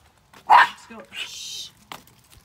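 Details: One sharp, loud bark from Buddy, a dog who trash talks the other dogs in his neighbourhood, is followed by a person's hushing shh and a faint later yip.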